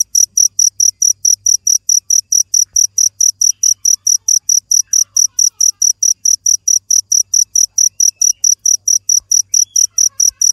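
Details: Cricket calling: rapid, evenly spaced, piercing high chirps at roughly four per second over a quiet background with a faint low hum.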